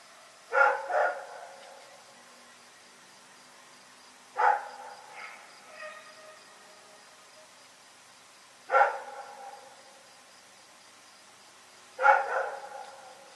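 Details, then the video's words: Dog named Rex barking during the night, single or doubled gruff barks about every four seconds, four bouts in all, with faint softer sounds between them. "Pyrga Barking Nightmare 42"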